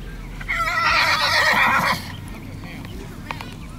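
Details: Sorrel Tennessee Walking Horse stud stallion whinnies loudly: a quavering, shaky cry of about one and a half seconds, then quieter stable noise with a few faint knocks.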